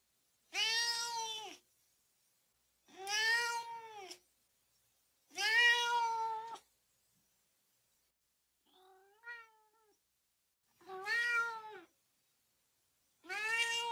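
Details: Cat giving a run of short arched meows roughly every two to three seconds, with one softer, fainter meow in the middle; cat noises used to rile up dogs.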